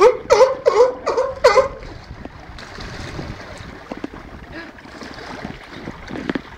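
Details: At Cornwall's National Seal Sanctuary on 24 March 2010, home to Patagonian sea lions Diego and Noito and Californian sea lion André, four rapid, throaty barks open the recording, then give way to a steady wash of water and background murmur.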